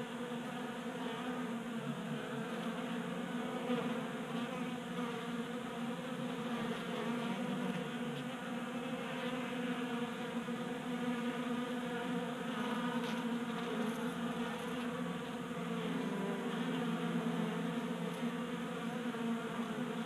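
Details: Numerous honey bees gather at a 3D-printed feeder on a garage workbench in Colorado, burning winter stores during January warmth; a sustained thick wing drone, swelling slightly, with scattered faint clicks and close passes.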